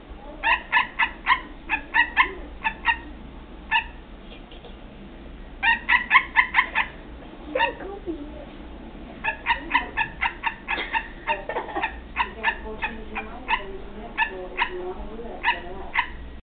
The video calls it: Barking tree frog